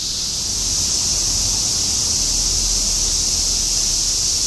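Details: Many cicadas singing together in Shinjuku, Tokyo, 2016 summer semi-shigure; a steady high sizzling drone dominates while a low traffic-like rumble pulses below it.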